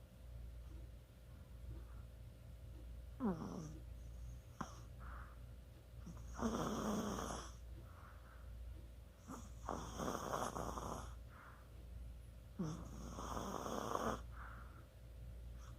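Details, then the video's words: Sleeping Chihuahua snoring indoors, recorded 24 October 2020: three long rasping snores near 6.5, 9.5 and 13 seconds, spaced about three seconds apart, with softer wheezy breaths between them in a quiet room. "치와와의 코골이"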